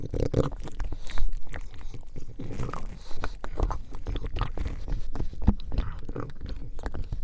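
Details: Buddy, a pug, gnawing on bone marrow: loud crunching and biting, with a strong burst near the start and then irregular clicks and grinding chews continuing to the end.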